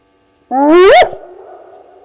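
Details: Spotted hyena calling at 02:35 at night on 29 May 2020 at Gowrie dam waterhole, Djuma Game Reserve, Sabi Sand Wildtuin, South Africa, picked up by a live waterhole camera: one loud whoop sweeping steeply upward in pitch, then a long echoing tail.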